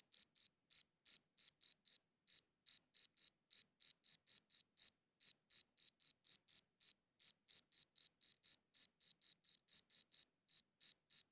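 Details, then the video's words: Chirping cricket recorded with a quality audio recorder: a steady train of short, high, bright pulses, several per second, pausing briefly now and then; clean, quiet background with nothing else heard. "Cricket Chirping Sounds"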